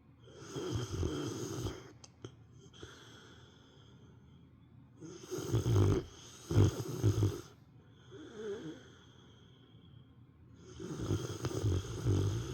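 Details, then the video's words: Sleeping female house dog at nap time giving loud old-man snores, heavy low rattling bursts about every five seconds with softer wheezing breaths between, a couple of faint clicks early on. "犬のいびき～Dog snoring～"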